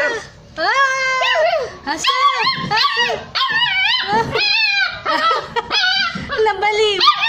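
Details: Hungry stray puppies crying while looking for their mother: a loud, continuous run of high, harmonic whines and yelps, some held and some bending up and down, with short gaps between cries.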